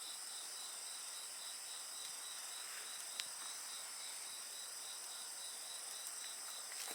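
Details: Insect voices make a steady, high-pitched ringing chorus with a rapidly pulsing trill. Crackles and pops from a wood fire sound intermittently.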